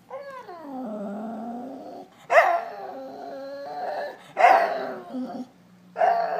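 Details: Dog crying for attention: drawn-out whining cries that slide downward, broken by sharper yelping bursts around two and four and a half seconds, then a final rising whine; a faint low hum runs beneath.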